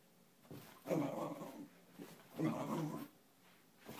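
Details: A Cairn Terrier gives two throaty, rumbling growls about a second and a half apart while playing around.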